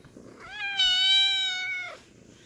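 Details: Kitten giving a single drawn-out meow lasting over a second, steady and slightly nasal with rich overtones, rising gently at onset and falling away at the end, in a quiet room.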